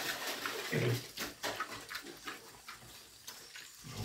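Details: Pigs grunt and snort in short, irregular bursts while feeding, with splashing and slurping mixed in.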